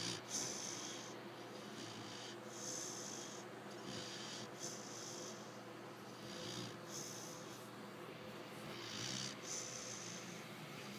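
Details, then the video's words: Female American Bulldog Lecka, aged five months, asleep and snoring loudly. Breathy, rasping snores rise and fall every second or so, steady and rhythmic, against a low household hum. "Lecka snoring away"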